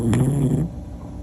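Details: A sleeping Pomapoo, a toy poodle and Pomeranian cross, gives one low, rough snore lasting about half a second, then quiet breathing follows.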